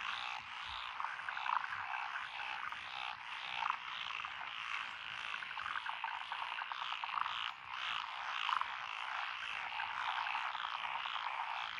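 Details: Evening-style paddy soundscape from Echizen, Fukui, Japan, dated 12 June 2021: many frogs of several listed species calling together in lotus rice fields. Steady, dense rattling croaks fill the scene, punctuated by sharper individual notes now and then.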